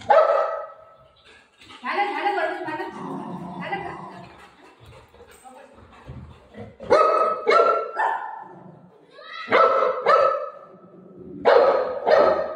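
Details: Buzo, a golden retriever playing with his owner at home, barks as if telling her a visitor has arrived at the door. Loud sharp barks come in close pairs a few seconds apart, after a stretch of a woman talking to him.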